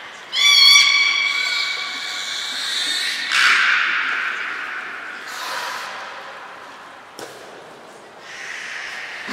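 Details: Beluga during training at Port of Nagoya Public Aquarium, 20 February 2021, Mirai and Niko; a sharp pulsed harmonic call opens, followed by several broad noisy bursts spaced a few seconds apart.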